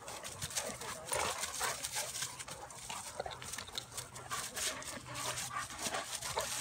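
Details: A Bulldog/Staffy cross and a Cane Corso wrestling in play: low, rumbling growls rise and fade through the bout over constant scuffling, panting and rustling noise, with brief sharper bursts as the two dogs tussle.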